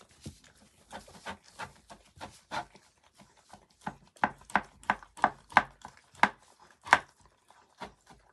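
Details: Miniature dachshund puppy hiccuping after eating too quickly, a series of short, sharp clicking jolts repeating roughly every half second to second, growing louder midway, in a quiet small room.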